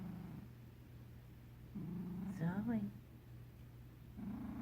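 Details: Zoe, a pet cat, purr snoring while asleep; a low steady rumbling purr opens and closes the moment, broken midway by a brief higher voiced sound.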